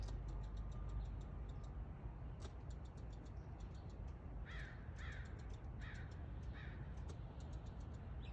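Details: Squirrel wagging its tail while calling: a run of short, harsh barking notes repeated about every half second through the second half, set against a steady low rumble and faint ticking clicks.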